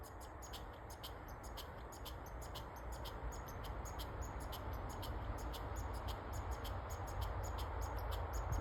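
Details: Squirrel in Nova Scotia chattering outdoors: rapid, fairly regular high clicks, a little over two per second, above a loud low rumble and steady hiss.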